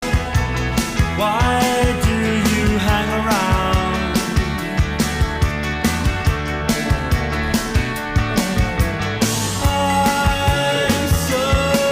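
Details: Loud rock-style music with singing and steady drums fills the whole stretch; no animal voice is heard.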